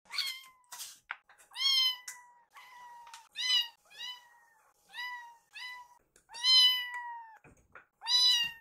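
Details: Two rescued kittens, Yuki and Piyo, in foster care, stare at their caretaker and meow to ask for food before feeding: high, harmonic-rich meows, some rising then level, repeated about every two seconds indoors.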